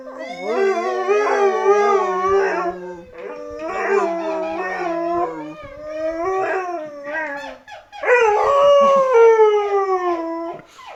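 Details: A Siberian Husky, reacting to an annoying sound, howls in long, wavering, rising and falling tones, broken into several drawn-out bouts.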